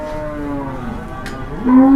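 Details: Agitated cow said to be 'possessed', giving a drawn-out moo that wavers, dips and then rises into a louder, steadier tone at the end, with faint background knocks.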